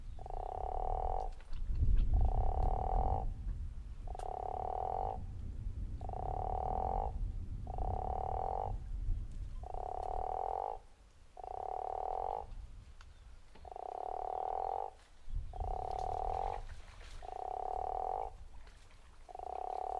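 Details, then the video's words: Guttural toad at Zeekoevlei giving a snoring call: a steady run of roughly one-second, rasping pulsed croaks, about eleven in a row with short gaps, over low rumbling background noise. "The Snoring Toad"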